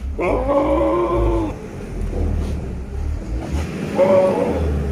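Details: Big male Sirohi goat at a goat farm in Pushkar, Rajasthan, India, giving a loud, low, nasal bleat lasting over a second, then a second, shorter bleat after a pause, with low rumbling background noise.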